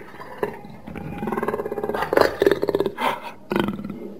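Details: Jaguar, shown as a real animal, giving a series of coarse, rasping grunts that build into rapid pulsed bursts, pausing briefly, then a final harsh grunt, over a low rumbling background.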